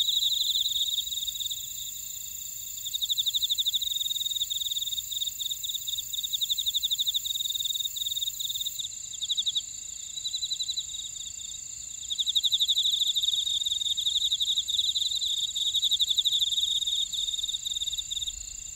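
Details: Grass insects chirring in a Jeju City buckwheat field, Ora-dong, South Korea: layered high trills, one continuous and others pulsed, swelling and fading in bursts over a steady ringing background.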